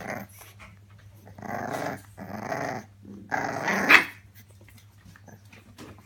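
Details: British Bulldog puppies heard indoors, giving three rough, growly bursts of about half a second each, separated by short pauses, the last ending in a brief sharper yip, over a low steady hum.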